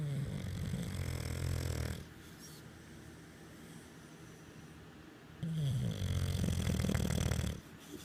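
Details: Sleeping English Bulldog lying on a pregnant woman's belly gives deep, gravelly snores, one ending near two seconds and another from about five and a half to seven and a half seconds, with softer wheezy breathing between.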